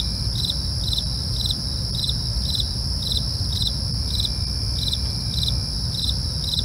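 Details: Crickets at night: steady high-pitched pulsed chirps repeating about twice a second over continuous shrill trilling bands, with low rumbling background noise.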